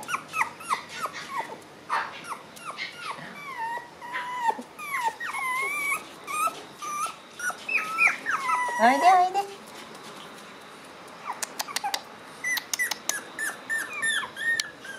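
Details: Shiba Inu puppy on its first time outdoors, creeping forward cautiously, giving rapid high squeaky whimpers and yelps that bend up and down in pitch, with soft clicks and rustling, then a pause and scattered taps.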